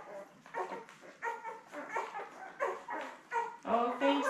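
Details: Labrador Retriever litter of seven newborn puppies, born May 24, 2021, with mother Belle on a puppy cam; repeated short squeaky whines and yelps, roughly three per second, rising in loudness toward the end.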